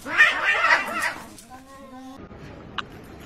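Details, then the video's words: Domestic cat in a real fight: a burst of harsh, noisy screeching gives way to a steady, low, drawn-out moaning yowl lasting under a second, followed by quiet background noise and one short sharp sound. "Real Cat Fight"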